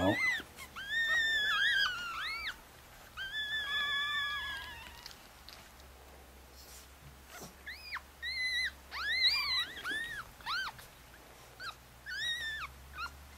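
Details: A mother Chihuahua's five pups, four boys and a girl, aged four days, in Fredericksburg, Virginia. Shrill arched whines and drawn-out squeaky cries come in separate bursts with quiet gaps between them.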